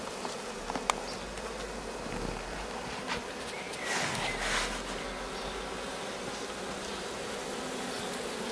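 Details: Honey bee swarm settled for several days on a rose bush and starting to build comb: a steady, dense buzzing hum throughout, with a brief louder swell midway and a faint click near the start.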